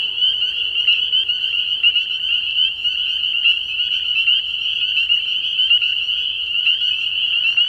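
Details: Many spring peepers piping together at a frog pond at night early in the year, forming an unbroken shrill high chorus with sharper individual peeps standing out every fraction of a second.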